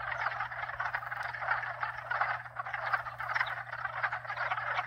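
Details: Thick chorus of several frog species, fast pulsing croaks overlapping without pause, over a constant low hum from hot tub pumps.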